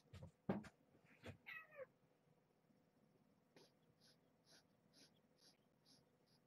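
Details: Domestic cat at bedtime, mother cat Marge with her kittens in a box inside her cage, indoors: a brief meow sliding downward in pitch after a few knocks and handling thumps, then a series of soft, regular ticking clicks.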